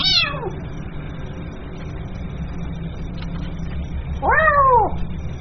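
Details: Two kitten meows calling the mother cat, a short high one at the start and a louder, longer arched cry near the end, separated by a quiet stretch of background hum.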